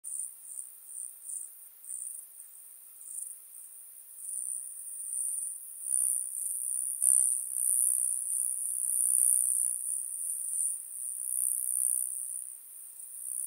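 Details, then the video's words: Stenobothrus crassipes grasshopper at Fischawiesen, Austria, 5 August 2022: a thin, very high hissing buzz, pulsing in short bursts at first, then swelling into a steadier, louder stretch before fading again. "Stenobothrus crassipes -- Zwerg-Heidegrashüpfer"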